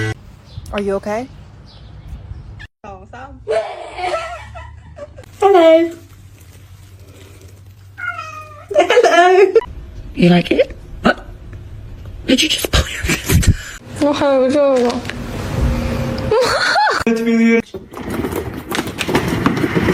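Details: Kittens giving arched, harmonic meows, each rising then falling, repeated every few seconds with human voices and thumps of movement between calls.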